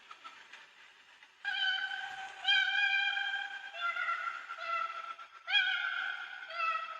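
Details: Koala wailing, screaming distress call, made when bickering with another koala or when disturbed or alarmed by another species; a quiet start, then loud drawn-out harmonic wails that swell and fade in repeated bursts, sounding somewhat monkey-like.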